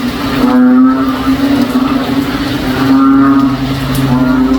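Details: Frogs in a backyard on a rainy day, sounding like a cow: a constant low droning hum under drawn-out mooing calls with rich overtones, about every two to three seconds.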